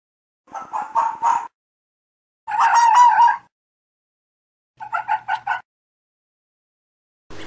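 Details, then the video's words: Mating-season fox calls: three bursts of rough, yapping barks a couple of seconds apart, the middle burst a longer hoarse wail, followed by a sudden noisy sound at the very end. "Fox calls and Barking | Fox Sounds | Fox Mating sounds"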